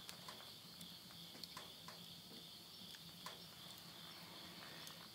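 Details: Countryside insects calling at midnight in Tottori's Yurihama, Japan, at summer's end in September 2020, giving an unbroken high-pitched buzzing hum, with scattered crisp pops from stove flames and a faint low hum.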